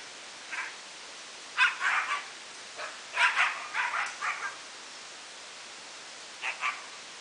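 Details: Talon, a husky, being bathed in a wash tub while clamped in by his collar and sprayed with a garden hose. Short, mid-pitched yips and barks come in quick clusters of two to four, then a pause, over a steady hiss.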